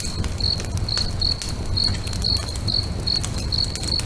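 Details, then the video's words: At a lakeside at sunset, a cricket's short, high-pitched chirps come in an even pulse of roughly two per second, mixed with popping, crackling bonfire sounds and a dull low murmur. "FIRE & CRICKETS AMBIENCE"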